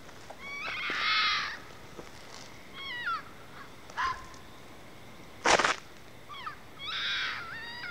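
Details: Fox heard outside, calling repeatedly, thought to be mating: harsh, raspy screams about a second long at the start and end, with shorter wavering, rising-falling yelps between them and a sharp click near the middle.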